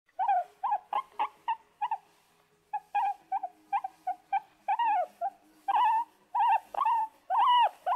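A guinea pig gives a run of short, squeaky, arched notes, some quick and clipped, others drawn out.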